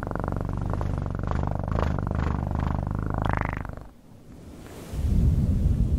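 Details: Cat purring in close, steady low rumbling pulses for nearly four seconds. It then drops to near silence, followed by a soft broadband hiss.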